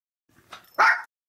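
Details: Maltese dog in a family of three, male, female and their daughter, during treat time; after a faint soft sniff, one short sharp bark lasting about a quarter second.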